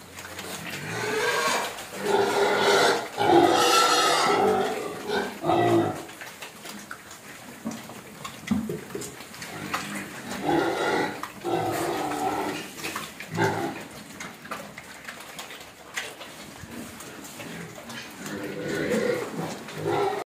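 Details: Hungry pig cries for food in repeated squealing bursts: a long loud run at the start, then shorter squeals and grunts spaced every few seconds through the rest of the recording.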